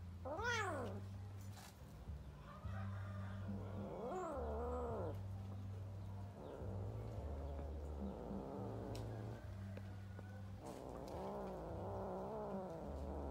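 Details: Kittens fighting while playing: several wavering, drawn-out meows and yowls, the first high and rising-falling, others lower and warbling, spread across the clip over a steady low hum.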